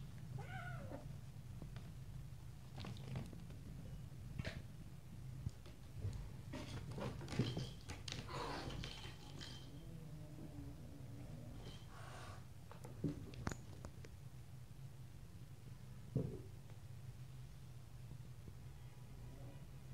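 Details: Little stray kittens and grown cats play-fighting, pouncing and biting; soft scattered mews and squeals come in brief bursts, busiest between three and nine seconds, over a constant low rumble indoors.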